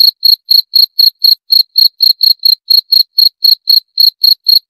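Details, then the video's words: Repeated shrill cricket chirps, evenly spaced at roughly four each second, sharp and metallic with a clean background and no other sounds. "20 Menit Suara Jangkrik - 20 Minutes Cricket Sound Effect"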